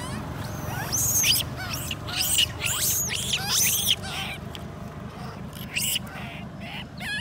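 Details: Baby monkey Lori crying after her mother Amari leaves her alone: shrill, wavering squeals with rising and falling sweeps, bunched over the first four seconds, then softer broken cries over a steady low hum.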